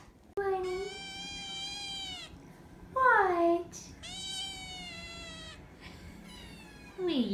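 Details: Nine-week-old foster kittens from Belle's litter, living in a foster room. Loud, drawn-out harmonic meows, each held about two seconds, with a sharper falling cry between them. Near-continuous meowing with a quiet indoor background.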